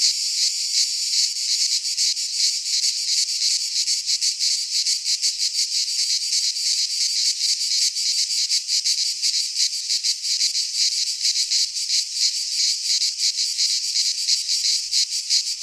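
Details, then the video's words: Greek pine forest cicadas in midsummer, many insects together producing an unbroken shrill buzz with rapid rhythmic pulsing, loud and steady for the whole stretch. "Cicadas singing in midsummer - Nature sounds from the Greek fauna - Sounds of cicadas"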